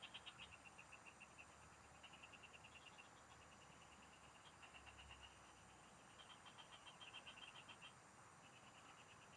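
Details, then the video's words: Field frogs heard during a fishing outing in the province: continuous overlapping trains of rapid, clicking pulses from several callers, steady and high-pitched, with a brief low rumble midway. "Pikinggan mo Ang MGA huni Ng MGA Palaka SA bukid| Relaxing Frog Singing"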